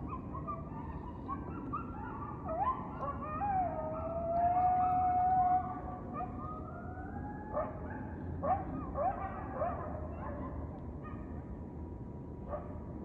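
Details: Gampsocleis buergeri, the western Japanese katydid of western Japan, sings a single dry, buzzing trill of about half a second, rapidly pulsed and sharply cut off, set against quiet surroundings.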